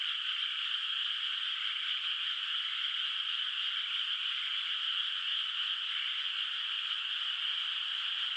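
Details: Distant frogs calling at night across a moonlit countryside rice field whose water is not yet planted; a dense, unbroken high-pitched trilling chorus holds steady throughout, with no single croaks standing out and no other sounds.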